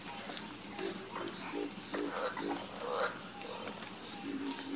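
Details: Several frogs croak together in a chorus, with short, rough, low croaks coming in uneven clusters, some brief rising notes, and a continuous shrill insect hum behind them.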